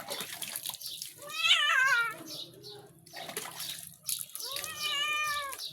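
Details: Pet cat complaining while shampooed and bathed in hot weather: two long, drawn-out, quavering meows, the first rising and falling, the second steadier and lower, with voices chatting and water sloshing between them.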